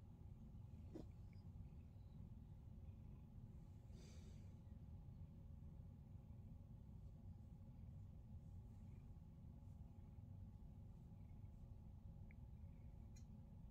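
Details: Domestic male cat purring while being given his favourite massage as part of a daily morning routine at home; a steady, quiet, low rumbling drone runs unbroken throughout, with a faint brief rustle near the fourth second.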